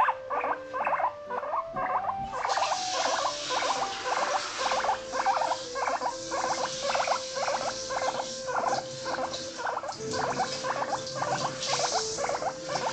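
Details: Female Abyssinian guinea pig kept indoors in an apartment, eating a large lettuce leaf: a steady series of short high squeaks repeated about twice a second, with rustling and crunching throughout.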